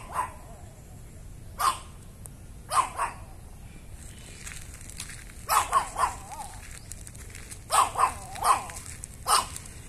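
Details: Barking of a Chihuahua called Meetang, which comes by the house and barks on seeing its residents: short high yaps, spaced singly at first, then in clusters of two or three.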